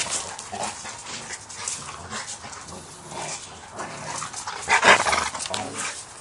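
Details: Two young American Bulldogs, the 7-month-old Mason and his sister, tussle playfully; soft grumbling growls and snuffles build to a loud, harsh growling burst near the end.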